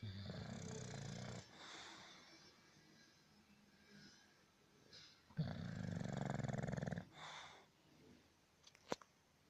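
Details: Snoring English bulldog: a rasping snore at the start, quiet breaths, then a longer rattling snore of about two seconds, and a brief sharp click near the end.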